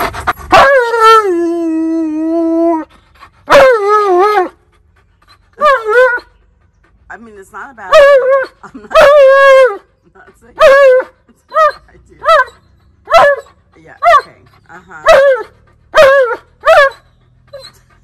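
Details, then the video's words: Alaskan Malamute yelling and demanding at its owner indoors: a long wavering howl-like moan, then a series of short, rising-falling woo-woo vocalizations in bursts, repeating roughly once a second, with brief human speech between. "Tonka Yells At Me And Demands"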